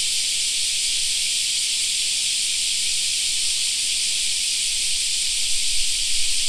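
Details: In a park in summer, cicadas keep up an unbroken high-pitched droning chorus, with faint low rumbling joining near the end.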